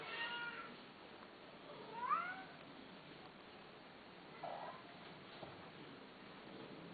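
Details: Male cats kept for sale, calling indoors: a few short rising and falling meows, one sharper mew near two seconds and a softer one later, over steady low hiss.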